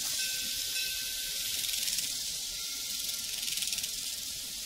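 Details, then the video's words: Crickets on a prairie fill the air with a dense, high, shimmering chorus of rapid pulsed chirps, steady throughout, with a faint thin tone running underneath. "Sounds from a Prairie Crickets and Cowbells"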